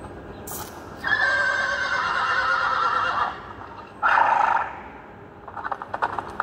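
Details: Young mare beckoning a stallion: one long quavering whinny of about two seconds, then a shorter bright call, followed by soft clatter and rustling.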